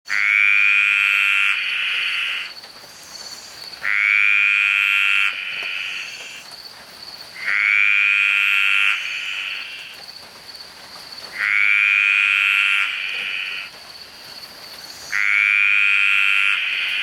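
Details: Green tree frogs calling very loudly in a rainforest: long harsh pulsed croaks, each about 1.5 seconds, repeated roughly every 4 seconds, loud and dominant with a faint steady high tone behind.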